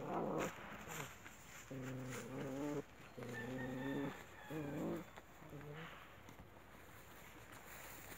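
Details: An Alaskan Malamute, with its mother and happy puppies present, gives drawn-out, tonal woo-woo calls, each held about a second, with pauses between.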